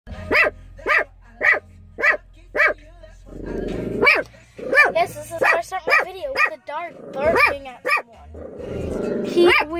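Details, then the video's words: A dog barking at someone: five evenly spaced sharp barks in the opening seconds, then more rapid, irregular barks mixed with people talking nearby. "A dog barking"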